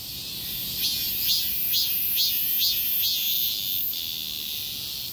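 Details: During a heatwave, cicadas fill a street with a shrill metallic drone, rising into a run of about seven regular pulsing surges, faint city rumble below.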